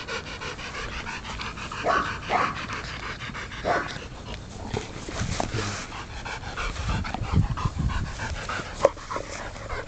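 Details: Rapid, soft panting from Aubrey von der Stark, a puppy of 10 weeks, during ball play, with a few louder breaths and scattered low knocks in the background.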